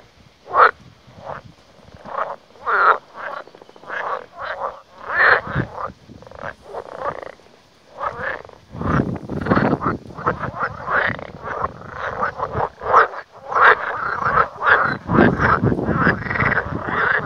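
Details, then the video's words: Chorus of frogs at an out-of-the-way place in Lithuania, far from people. Harsh, buzzy croaks repeat rapidly and irregularly, thickening into a continuous overlapping din from many animals in the second half. "Varlės Lietuvoje"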